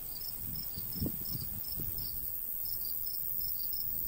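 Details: Summer crickets in a countryside golden wheat field in a light breeze. High chirps repeat steadily above a ringing background trill. A few soft low rustling thumps occur near the middle.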